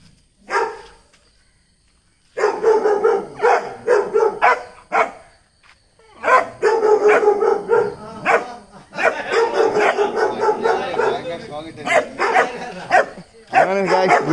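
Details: Fearless pet Dachshund barking hard: one lone bark, a pause, then long bouts of rapid, loud, gruff barks repeated several times a second, broken by short gaps, continuing to the end.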